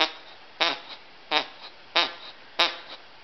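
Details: Two pet dogs playing, Chauncey the Cockapoo and Murphy the Scottie mix: five short, harsh bursts with falling pitch, about one every two-thirds of a second, over a quiet background.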